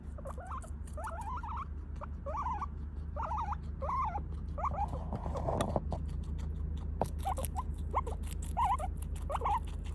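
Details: Guinea pig squealing in upset anger because its snack was late, wavering whistled calls in uneven bursts, with a brief clatter midway and rustling in the background.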